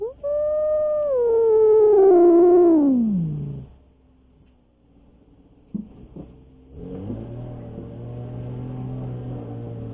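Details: Alik, a domestic cat, confronting intruding cats: a long drawn-out yowl holds steady, then slides steadily downward over three seconds, a pause with a few clicks follows, then a low rumbling growl sets in.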